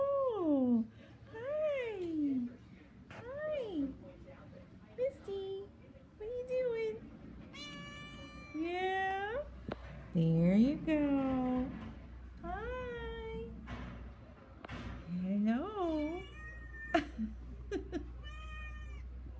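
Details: Pet cat talking indoors with a person; a long series of drawn-out meows sliding up and down in pitch, some rising, some falling, with the person's soft voice and a steady low hum underneath.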